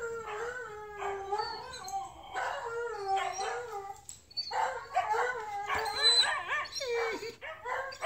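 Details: Female Blue Bay Shepherd, prompted to speak by her owner, gives a run of yodelling howls and whining moans, repeated sliding notes rising and falling in pitch over about eight seconds.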